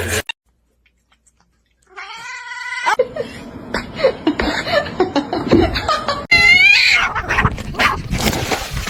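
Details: Kitten meowing: a drawn-out tonal meow after a brief silence, then a busy stretch of mixed noises, and a second high, rising-then-falling meow, with laughter and speech in the background.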